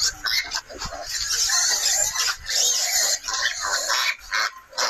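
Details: Wild boar in a nursery setting, with nearly continuous shrill squealing and grunting, loud and irregular and broken by short gaps.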